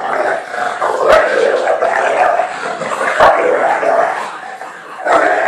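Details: Fudge, a three-year-old female American Bulldog, plays rough with her new puppy companion Patch, giving continuous raspy, throaty growls that swell and fade in long noisy bursts, with brief sharp clicks and knocks.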